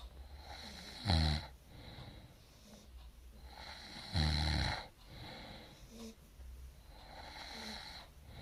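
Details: Dog asleep and snoring, two loud, gravelly inhaled snores roughly three seconds apart, each rattling low with a hissing upper edge, followed by softer wheezy breaths in a quiet room.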